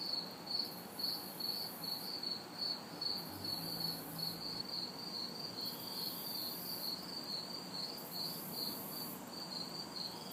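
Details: A summer-night chorus in a city backyard on a hot, humid night: crickets chirp in a steady pulsing rhythm while a higher, hissing cicada buzz swells and fades above, with faint distant traffic noise.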